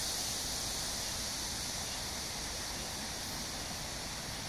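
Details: Cicadas droning on a hot July evening, July 26, 2021, beside the Han River at Amsa Ecological Park in Seoul, South Korea: a continuous high shimmering buzz over a low rumble of distant traffic.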